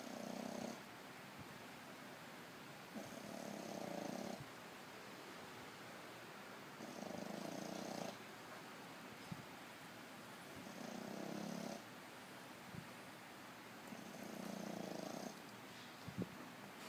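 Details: A sleeping French Bulldog snores, giving a low, rasping rumble with each breath about every four seconds.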